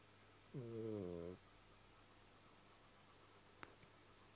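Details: Domestic cat snoring: a single droning nasal breath lasting under a second, slightly falling at the end, then a quiet room with two faint clicks.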